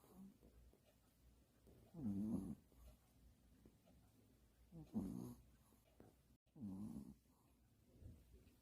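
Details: Pomeranian snoring loudly while asleep: three low, buzzy snorts come roughly every two to three seconds over a quiet background hum, with a soft fainter breath near the end.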